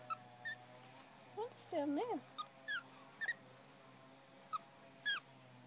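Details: Nine-year-old male black tufted capuchin at Tasmania Zoo, looking for treats hidden in a pocket; brief high squeaky chirps and a wavering, looping whistled call, with a woman speaking softly in the background.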